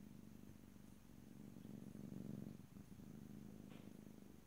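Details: Pet cat purring close to the microphone, a low, even rumbling vibration that grows a little louder around the middle, with a faint short rustle near the end.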